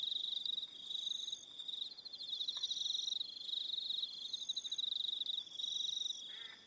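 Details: Aroha Island, New Zealand, at evening: many crickets produce a constant bright, pulsing trill, rising and falling slightly in volume, while a short lower chirp from another caller breaks through near the end.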